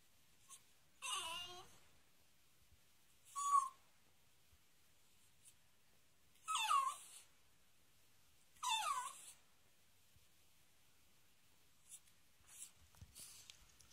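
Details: A male pet dog whines indoors while being ignored when he wants to play. Four short, thin, high whimpers fall in pitch, spaced a few seconds apart. Quiet room, with faint soft noises after.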